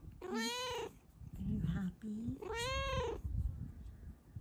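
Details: Contented female cat lying on her sleeping owner gives two loud, sweet, rising-then-falling meows about two seconds apart; a soft human murmur between them.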